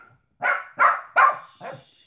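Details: Shih Tzu Louis, a male, barking at his mother Lacey at their reunion after seven months apart; four sharp, mid-pitched barks in quick succession roughly 0.4 seconds apart, the last one softer, with a quiet room around.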